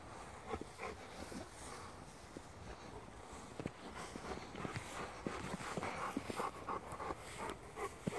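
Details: Rottweiler dog out on its daily field walk, breathing in fast uneven pants of about three per second, soft huffs building louder toward the end over light outdoor noise.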